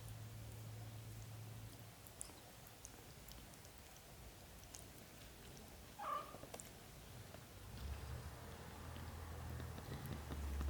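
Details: British Shorthair kittens lovingly cared for by their mother cat, black golden and blue golden coats; low, steady purring hum, a single short mew partway through, then the purring swells louder toward the end.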